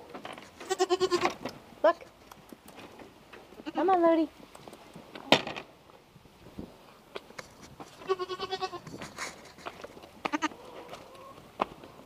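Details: French Alpine baby goats getting their bottles, bleating in wavering, harmonic-rich cries around one second long, about five calls spread through the stretch with clicks and handling noise between them.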